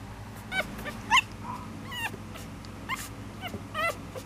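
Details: Miniature Schnauzer making short, high, sliding whimpers and sharp yips in quick irregular bursts, some rising then falling, over a low steady indoor hum.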